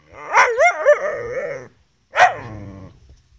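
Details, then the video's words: Gerberian Shepsky male trying to get his collie cross German Shepherd sister to play, giving a wavering, yodelling whine-bark that rises and falls, then a second short yelping howl. "Beau wants his sister Venus to play with him."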